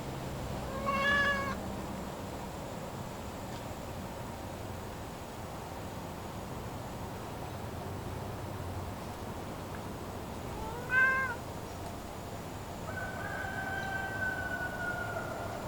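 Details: Domestic cat in the woods, recorded November 1, 2023 on a phone with an external microphone; two short rising-falling meows about ten seconds apart over constant wind noise, then a long drawn-out tonal call near the end.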